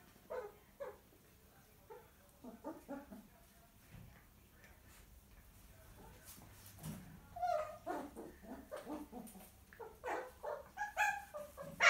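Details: Naughty six-week-old miniature poodle puppy being disciplined by his mum indoors; sparse squeaky whines and yelps at first, building to a denser burst of high yaps and growly barks in the final seconds.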